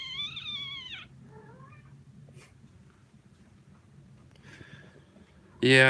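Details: Kitten from the Australia litter in Alley to Attic gives a high, harmonically rich meow that slides downward, then a softer, shorter meow, quiet indoor room noise, and a sudden loud cry closing the stretch.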